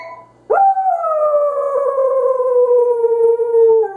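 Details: A Pembroke Welsh Corgi howls at a phone, a long, sustained howl that swoops up sharply and then slowly sinks in pitch.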